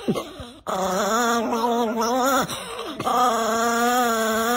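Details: Angry pet Chihuahua giving a sustained, wavering growl-whine, tonal and steady with slight pitch wobbles, interrupted by brief dips.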